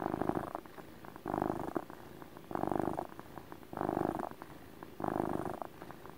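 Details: Pet cat purring contentedly in a relaxed motor purr, close up; strong rumbling bursts repeat about every 1.2 seconds with softer breaths between, no other sounds.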